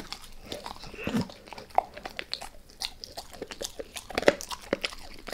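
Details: Pet dog Max eating a beef rib indoors: hard bites and crunches about every two seconds, separated by softer chewing and licking, quiet room without speech.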